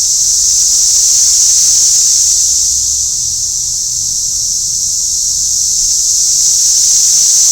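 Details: A dense, unbroken chorus of Brood X periodical cicadas in Lower Price Hill on June 8, 2021, recorded while measuring their noise: a high, steady, hissing drone.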